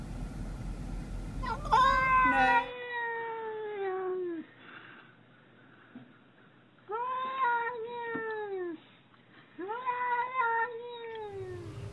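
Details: Domestic cat giving weird noises: three long, harmonic-rich meows, each starting high and sliding slowly downward, the first loudest and about three seconds long, with pauses between and faint background hum.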